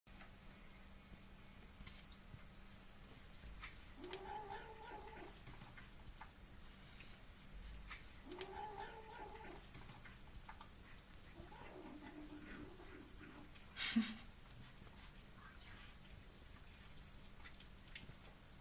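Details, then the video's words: Domestic cat making an odd noise while eating: three low, arched moaning calls, each about a second long and spaced roughly four seconds apart, over a steady faint hum, with one sharp click near the end. "Cat makes weird noise while eating"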